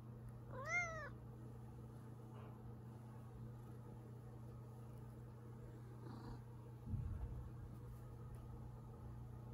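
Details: Zefir, a pet cat, complaining as if tired after a hard day, his usual everyday behaviour: a single short meow that rises then falls near the start, followed by a steady low indoor hum and a few soft thumps.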